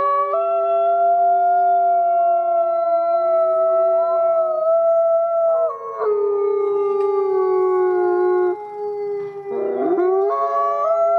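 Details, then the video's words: Several gray wolves howl together in long, overlapping tones that slide up and down, at the Wolf Conservation Center in South Salem, New York, where captive-born gray wolf Nikai is one of three education wolves. "Thirty-three Wolves Howling"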